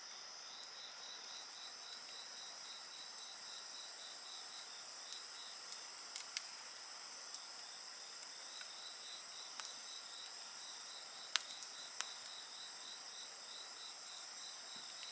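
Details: Insects singing beside a crackling bonfire: steady high shrill tones layered over one another, with one voice pulsing in quick regular beats throughout, while sharp wood pops and snaps break in now and then.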